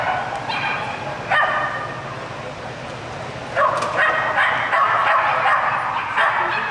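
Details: Australian Kelpie named Kettu during an agility run, medium class 3, course A, disqualified, 24 April 2011; a few sharp barks scattered between stretches of loudspeaker announcements and crowd murmur.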